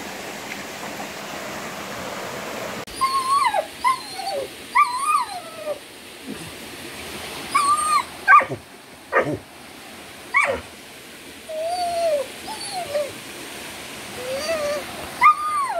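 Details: Jett, a Vizsla, near a waterfall on a bush trail walk, gives high whining whimpers that rise and fall in short bursts. Some are sharp yelps, and a steady rush of falling water runs underneath.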